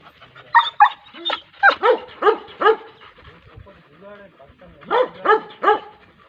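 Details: Dog barking in sharp, loud bursts: a quick pair, then a run of four evenly spaced barks, a short lull with faint low sounds, and a closing group of three barks.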